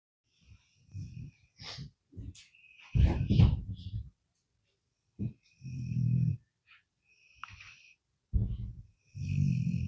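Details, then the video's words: Sleeping pet dog snoring: low, rough rumbling snores in short bursts every two to three seconds, some with a thin nasal whistle riding above, separated by quiet pauses. "I caught my dog snoring"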